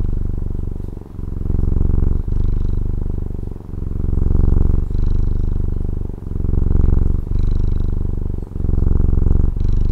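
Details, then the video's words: Purring house cat from Taiwan, a close, low, continuous vibrating drone rising and falling in long breath cycles of about one to one and a half seconds, with short dips where the breath turns. "Satisfying Cat Purring ASMR | Relaxing Cat Purring Videos"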